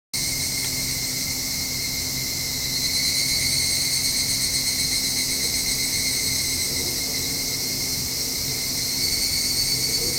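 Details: Evening cicada calling at dusk, heard from a home balcony: a dense, steady high-pitched shrill hum with a faint even tone beneath, holding unbroken for the whole stretch with slight swells in loudness.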